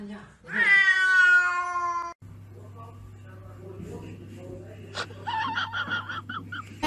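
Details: Pet cat giving a long drawn-out meow lasting over a second, strongly harmonic and slightly falling, followed by a steady hum and background music with human voices.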